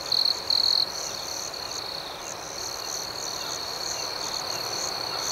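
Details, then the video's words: Crickets calling at night, opening with two louder shrill chirp bursts, then settling into a continuous high trilling chorus dotted with fast, evenly spaced pulses. "Soothing Cricket Sounds"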